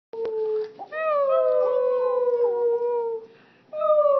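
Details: A small Boston Terrier "sings" in long, wavering, tonal howls that slide gently up and down.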